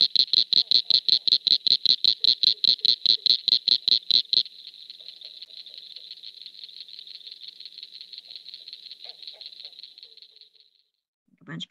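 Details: Eastern cricket frog from Tennessee, male breeding song, likened to stones, marbles or glass tapped together: sharp clicks about four per second at first, then a faster, softer rattling run that trails off.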